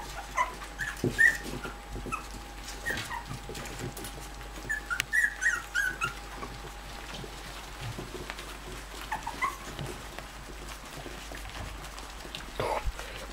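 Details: Bichon Frise puppies while their mother comes to visit: brief high whimpering squeaks in scattered bursts, clustered around the middle, over a low steady hum and faint rustling handling noise.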